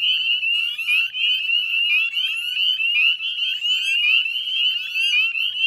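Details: Northern spring peepers in a dense chorus at dusk on 18 May 2020 beside the Chezzetcook salt marsh, West Chezzetcook, Nova Scotia, Canada; many overlapping high, rising peeps blend into a continuous shrill ringing wall of sound.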